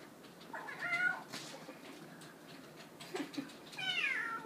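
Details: Indoor kitten crying to be let into the dishwasher, giving two plaintive meows about three seconds apart, the second higher and longer, over faint room noise and soft knocks.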